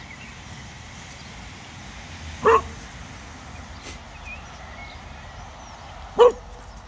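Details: Pet Cocker Spaniel Casper freaking out at a very small snowman in a park, tail wagging: two loud, clipped barks about four seconds apart, with low outdoor rumble and faint high chirps between them.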